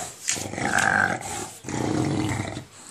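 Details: English bulldog making a rough, rasping monster-like growl while playing with a tennis ball indoors, two sustained growling bursts separated by a short pause, with a brief higher whine in the first burst.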